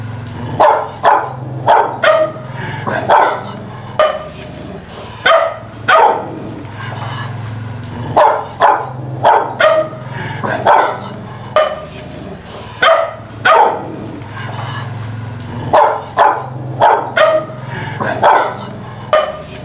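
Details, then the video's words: Loud barking of dogs fighting: clustered volleys of harsh barks recur in regular bursts over a low humming background, with short pauses between each volley. "Tiếng Chó Sủa Tiếng Chó Cắn Nhau tiếng Chó Sủa Ầm Ầm"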